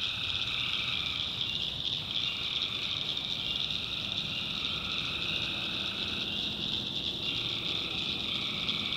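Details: Tree frogs in a North Carolina swamp after dark, their calls merging into one continuous shrill, buzzy chorus with a fainter lower strand of calls running beneath.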